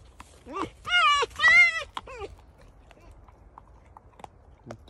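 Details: Domestic fox complaining in a drawn-out squabble: two loud harmonic whining cries in quick succession, wavering and slightly falling, followed by a shorter whine and then quiet with soft clicks; a woman talks to the animal.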